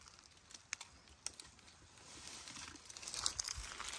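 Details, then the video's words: A Komodo dragon swallowing a whole goat gives a steady, breathy hiss that swells toward the end, broken by wet clicks and crackling sounds. "Komodo dragon swallows while hissing"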